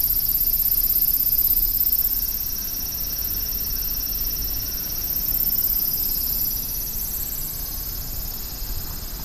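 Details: Urban cicada chorus in a big city: a continuous high, shrill drone in stacked bands, gently rising and falling in strength over constant low traffic noise.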